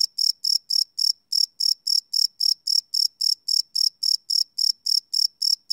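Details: Cricket sounds at night, taken live on a Sony PCM D100 field recorder: crisp, high chirps repeated quickly and evenly, around three to four per second, against a silent background.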